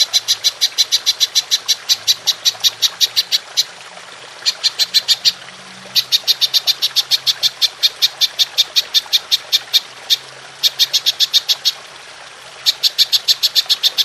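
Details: Belalang emas (golden grasshopper) for training songbirds: repeated bursts of crisp, high ticking pulses, each run lasting a few seconds, separated by brief silent gaps.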